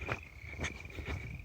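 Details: Frogs and peepers chorus at a mountain lake along the Continental Divide Trail climb from Rabbit Ears Pass, a steady high trill with louder pulses rising above it.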